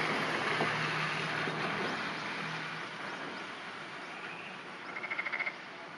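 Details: Early morning, 11 June 2009, in steady hissing rain with a low hum early on. A floating black-spotted pond frog (Rana nigromaculata) gives a brief burst of fast, evenly pulsed croaks, a dry rattling trill.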